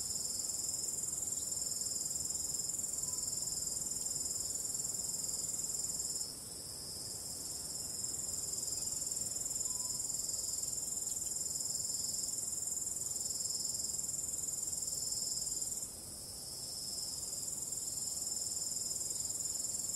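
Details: Ambient starry night with crickets and calm wind: many insects trilling together in a high, bright, rapidly pulsing buzz that never stops, dipping briefly in volume twice before resuming at full strength.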